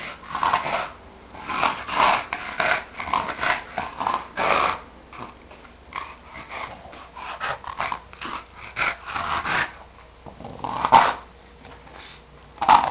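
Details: Tobias, a pet dog, snoring while asleep: a run of rough, breathy snorts and snuffles coming in irregular bursts, louder in the first seconds and fading later, with a couple of sharper sounds near the end.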